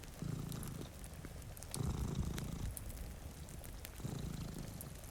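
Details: One of two cats dozing in front of a rainy window beside a cozy fire purrs in loud, rumbling bursts with quieter pauses between breaths, over continuous rain noise and scattered fire crackles.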